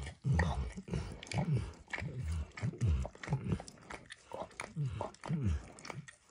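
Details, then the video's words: Max the dog works at a bumpy orange lick mat holding eggs or diluted peanut oil, producing rhythmic wet laps in clusters roughly every half second, low and close, no speech. "ASMR Dog Licking"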